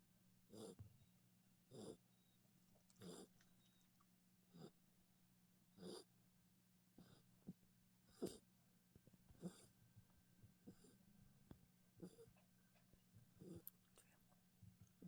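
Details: Maltipoo puppy snoring while asleep indoors; soft rhythmic snores about every one and a half seconds, each a short breathy burst, over a low steady electrical hum.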